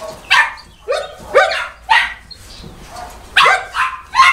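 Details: Boerboel at Delatro Boerboels, 30 October 2013, giving about eight separate sharp, rising barks spaced roughly half a second apart, with quiet gaps between them.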